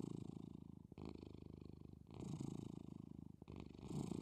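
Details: A cat asleep and purring gently: a close, low, rattling hum of quick even pulses, with brief breaks at the turns between in-breath and out-breath and nothing else audible.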